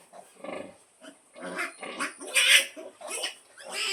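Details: Pig and piglets at feeding, the mother calling her young to feed. Short choppy grunts and squeals build to a sharp loud squeal in the middle, followed by more clipped notes.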